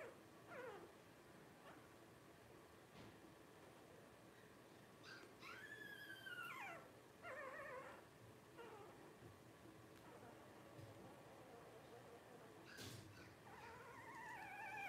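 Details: Litter of five Blenheim Cavalier King Charles Spaniel puppies, 12 days old, born at New Year's 2023 to Paris and Spike. Scattered thin squeals and several drawn-out, bending whimpers, with quieter shuffling between them.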